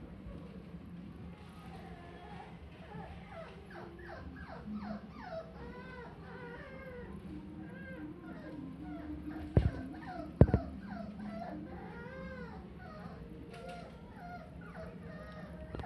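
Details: A Maltese puppy in a pet shop gives a stream of high, wavering whimpers and yips over a low background hum.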